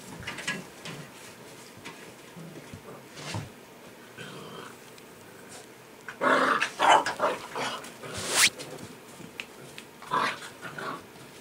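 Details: Six-week-old white Golden Retriever puppies: scattered high yips and whimpers, with a louder cluster of squeals and short barks near the middle, over low rustling and shuffling.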